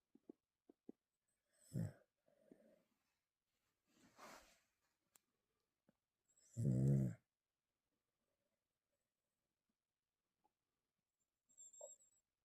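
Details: A pet dog in deep sleep indoors, eyes slightly open, snoring: low, rough rumbling breaths come in separate bursts a few seconds apart, one much louder and longer, with soft clicks and quiet gaps between.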